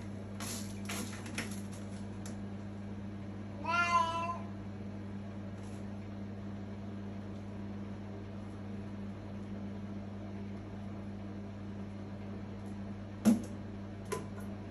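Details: A very loud 3-year-old Siamese cat from Turkey, being potty trained and using the toilet, gives one drawn-out, wavering meow over a steady low hum.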